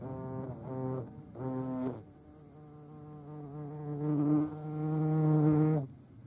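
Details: Two brief buzzy pulses followed by a long, steadily swelling low drone from European hornets (Vespa crabro), loudest just before it cuts off near six seconds.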